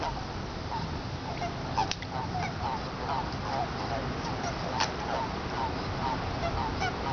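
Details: Eastern Japanese common toads (Bufo japonicus formosus) calling in a Tokyo pond on 23 February 2017, breeding time: many overlapping short croaking notes, rapid and irregular, tightly packed throughout, with steady background hiss.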